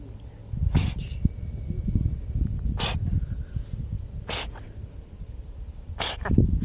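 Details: Cat on a Japanese cat island sneezing repeatedly, four sharp broadband bursts spaced over about six seconds, against steady low rumbling wind or handling noise.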